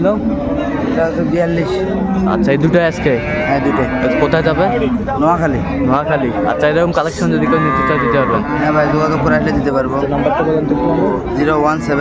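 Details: Market cattle, cows with calves, at Ambari Haat in Dinajpur on 24 May: a dense chorus of overlapping moos, some wavering and bending in pitch, mixed with men's voices and crowd chatter throughout.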